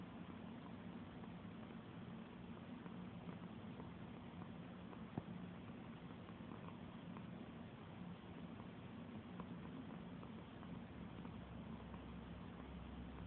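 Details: Pet cat being stroked and purring: an unbroken low rumble holds steady for the whole stretch, soft and even, with a single small tap midway.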